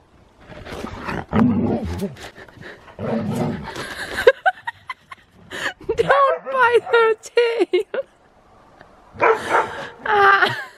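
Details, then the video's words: Siberian Husky going wild in the snow, nipping at another dog's tail during zoomies; noisy scuffling gives way to strings of yips and whining barks, with a person's voice partly mixed in. "Husky goes crazy in the snow! |Husky Zoomies|"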